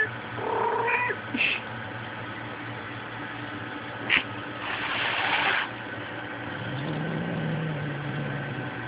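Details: Kitty, a female house cat, attacks her own tail violently about every five minutes, filmed on a Sprint Evo phone; a short harmonic meow opens the recording, followed by sharp thumps, a burst of noise and faint indoor hum.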